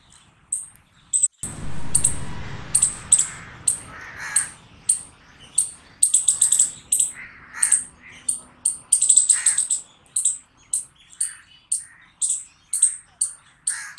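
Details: A squirrel barking loudly: sharp, high, downward-slurred chirps repeated about every half second, some in quick doubles, with a burst of low rumbling noise early on and faint lower chatter behind.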